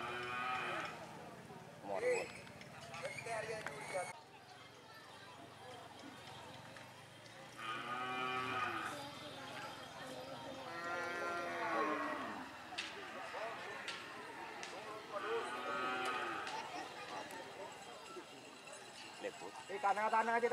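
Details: Cattle at a karapan sapi (Madurese bull racing) training session at Banyubunih field, Bangkalan, Madura, East Java, Indonesia; several drawn-out, harmonic moos rise and fall between about 7 and 17 seconds, with crowd chatter and outdoor noise throughout.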